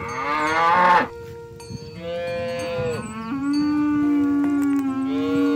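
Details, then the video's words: Oxen herded toward the rice field and farm pen, calling to companions: one loud, rich, harmonic moo in the first second, followed by steady ringing bell-like tones and softer lowing. "Sounds of Herding Oxen on the Way to the Farm Barn – Funny Mooing Sounds"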